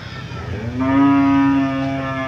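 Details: Cattle for sale at the Jonggol animal market give one loud, drawn-out moo that rises at the start and then holds steady and rich for nearly two seconds, over a low crowd murmur.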